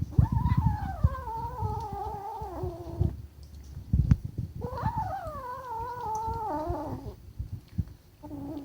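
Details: Kitten growling defensively over its food: two long, drawn-out tonal yowls, each wavering and slowly falling in pitch, separated by a short pause, over low thumping and rustling handling noises indoors.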